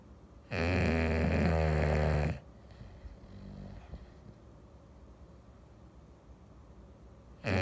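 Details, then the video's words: English Bulldog on a Sunday afternoon: one loud, rough, droning snore of about two seconds, rich in buzzy overtones, then quiet breathing, with the next snore starting right at the end. "English Bulldog snoring"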